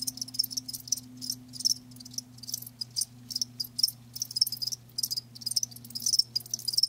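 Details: Shrill cricket chirps come in trilled bursts about half a second long, separated by brief gaps, above a low steady hum.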